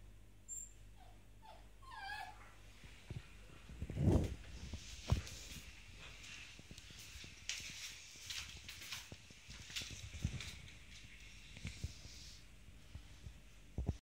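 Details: Czech Terrier, a female, chattering in the morning: a few short, high, thin whimpering whines early on. They are followed by scattered clicks, taps and rustling handling noises in a small indoor space.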